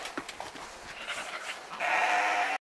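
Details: Romanov sheep during spring 2019 hoof trimming in Tver Oblast, Russia, a flock kept mostly in stalls: soft scuffles and short murmurs, then a loud, steady, nasal bleat held nearly a second before cutting off abruptly.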